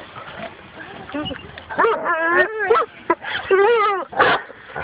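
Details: Dog on its first encounter with a wild boar gives a run of high, wavering whining yelps that rise and fall in pitch. Human voices speak over it.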